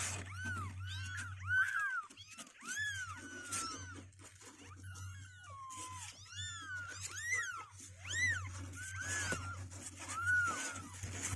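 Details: Healthy two-week-old kittens with strengthening legs, trying to get out of their box, meow almost continuously: overlapping arched cries, several per second at times, over a low background hum.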